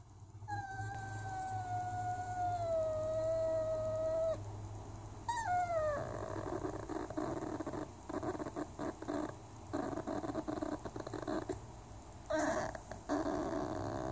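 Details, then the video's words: Holly, a pet Whippet with her baby or toys, gives a long, steady, high whine for about four seconds. It ends, then returns as a shorter falling whine, followed by soft rustling and faint grumbles. "Whippet makes silly cute sounds"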